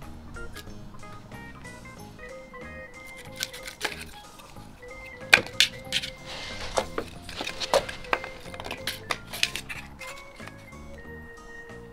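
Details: Bright plinking background music with bell-like notes and scattered clinks fills the room, and no animal voices are heard.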